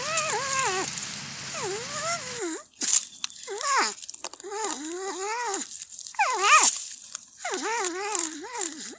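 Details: Porcupine eating corn gives a run of high, wavering whines, each dipping and rising in a V-shaped sweep, repeated in quick bursts and sounding like a crying baby or bird, with a low hum at first.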